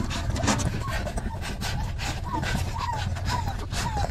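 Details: Hungry puppies jostling and fighting over milk; a series of short whines sliding downward repeats about every half second over a steady low rumble and shuffling noise.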